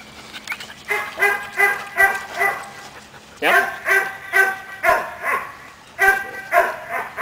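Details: Caiman, a seven-month-old Belgian Malinois, barking during obedience training: three bursts of sharp, harmonic barks, each burst holding four to five quick barks about half a second apart, with brief pauses between bursts and a short spoken word before.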